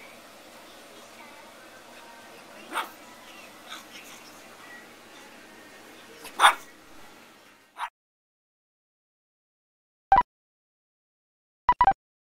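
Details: Zoey, a pug puppy at 9 to 12 weeks old, gives short sharp yipping barks, about five spread over twelve seconds, the first ones over a faint room hum and the last clustered after a sudden silence, two in quick succession.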